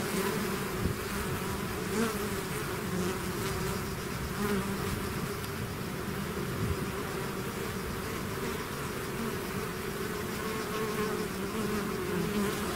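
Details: Swarm of bees out of its hive, a dense continuous buzzing hum with steady tones around two and four hundred cycles, many wingbeats overlapping evenly throughout, no other sounds.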